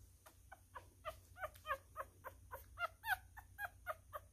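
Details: Tiny miniature schnauzer pup, newborn and male, squeaking while being fed indoors; soft, evenly spaced high squeals roughly every quarter second, some slightly bent in pitch, over a constant low hum.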